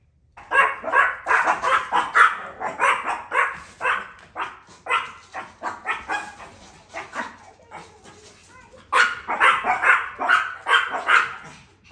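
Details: Chihuahuas, four-pound pet dogs that rarely make a sound, bark at the UPS driver at the same time every day to protect their property; rapid high yappy barks in two long bursts separated by a brief lull.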